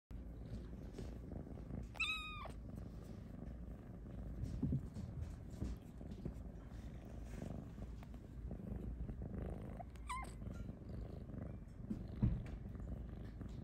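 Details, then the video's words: Napping in her hammock, Luna the Snow Lynx Bengal purrs steadily and breaks in with two brief meows, the first longer and wavering, the second short, about eight seconds apart, as she is petted. "Cat Meowing in Hammock: “I Need Pets!”"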